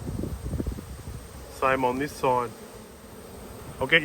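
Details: Honey bees at an open hive during an inspection on 19/3/22; rumbling handling noise at first, then two close buzzing fly-bys with sliding pitch, and another bee zooming in at the end.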